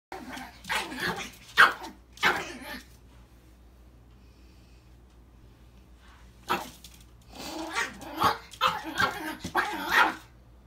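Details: A male Chihuahua mix, seeing his reflection in a mirror for the first time, lets out a burst of sharp, rough barks, pauses for about three seconds, then resumes with a rapid series of yappy barks.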